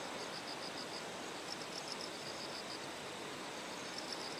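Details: Bell crickets singing in terraced rice fields in Kikuchi, Kumamoto Prefecture, Japan, on the morning of 6 September as Typhoon No. 10 approached; faint high ringing pulses in short bursts over a steady rushing stream.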